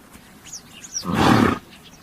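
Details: A horse gives a single rough, breathy blast lasting about half a second, loud and noisy rather than tonal, while faint high bird chirps sound in the quiet background.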